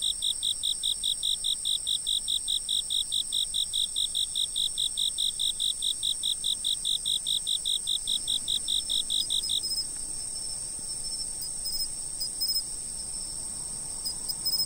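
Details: Insects chirp in rapid regular pulses, roughly four each second, for about nine and a half seconds, then stop; a constant high-pitched insect trilling continues underneath the whole time.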